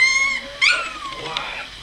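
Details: ['Two-week-old puppies, more mobile with eyes opening, 30 March 2017: a thin drawn-out whine sliding downward, then a brief squeaky yelp, while a woman murmurs to them.']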